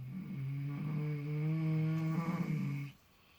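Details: Two miniature potbellied pigs sleeping in fresh straw snore in a low, rumbling, nasal drone, relaxed and seemingly dreaming.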